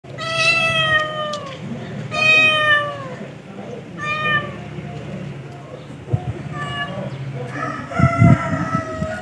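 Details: Domestic cat meowing: several drawn-out, harmonic-rich meows of about a second each, some falling slightly at the end, separated by short pauses, over a low background rumble and faint scuffling noise.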